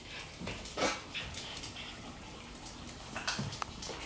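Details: Red Shiba Inu named Kinako worked up in rough play, chewing and swinging a rope toy she loves. Short, breathy growling bursts and snorts come in brief clusters between soft thumps and rustling of the toy.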